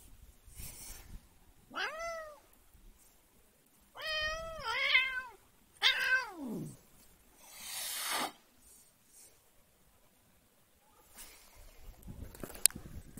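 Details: Annoyed house cat meowing repeatedly: a short cry, then a long complaining double-pulsed yowl and a falling meow, followed by a breathy hiss-like burst and quiet rustling.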